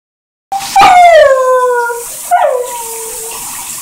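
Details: Airedale Terrier howling in the shower: a long, clear, tonal howl that slides gently downward for over a second, then a shorter second howl falling the same way, in a quiet, echoing room.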